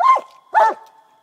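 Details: Coonhound giving two loud, harsh barks about half a second apart, each a short rich burst, the second trailing off into a faint lingering tone.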